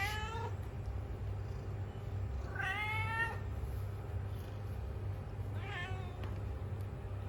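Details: A tom cat meows three times over seven seconds: a brief clipped opening note, a strong descending meow in the middle, and a shorter wavering one near the end, over a low background rumble.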